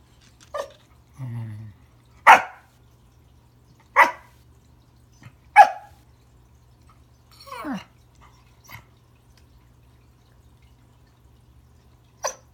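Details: Remington, a Pembroke Welsh Corgi, greeting a new friend under the Christmas tree with sharp single barks every one to two seconds, one low grumble early on, and a softer yelp near the end against a low indoor hum.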